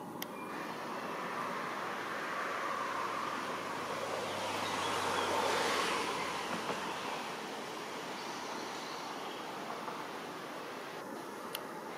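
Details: Steady rushing water and broadband outdoor noise swelling midway, with a couple of faint clicks and no animal calls.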